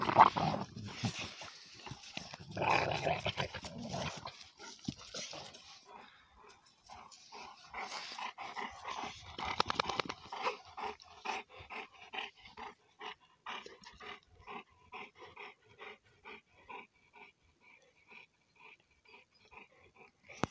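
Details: Conor and his son Bala, two young Cane Corso Italiano dogs, in mock fighting; a noisy scuffle at first, then a long run of short, even vocal grunts or pants roughly every second, slowly fading.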